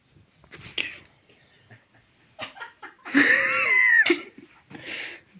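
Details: Cat playing with a rubber band, giving one drawn-out wavering meow-like cry midway that bends up then down, surrounded by scattered rustles, taps and short breathy noises.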